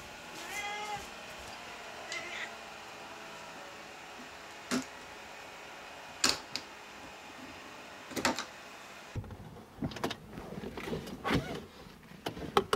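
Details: Maru, a pet cat, on the way to the animal hospital it strongly dislikes, recorded on a SONY HDR-PJ590V camera; a few drawn-out meows at the start, then scattered clicks, knocks and rustling of travel.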